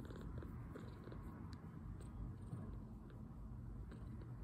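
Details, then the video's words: Two-week-old male foster kitten, milk-drunk after feeding and recovering from poor health, purring while relaxing indoors: a soft, continuous, low rumbling purr with a steady pulsing texture and faint clicking sounds throughout. "2 week old purring milk-drunk kitten"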